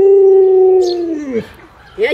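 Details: Luoluo, a pet Alaskan Malamute doted on by grandma, gives a steady mid-pitched howl held for about a second, then sliding downward and fading; a brief higher yelp follows near the end, with faint voices in the room.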